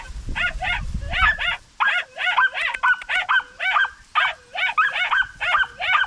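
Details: Rabbit-chasing Podenco puppies in the countryside give excited, high-pitched yelps in quick bursts of two or three. Clustered, wavering cries repeat at about two per second after a short low rumble at the start.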